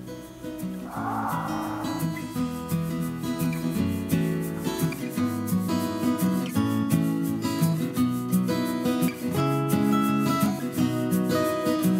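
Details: Gentle acoustic guitar music with a steady rhythm plays throughout, and no animal sound stands out.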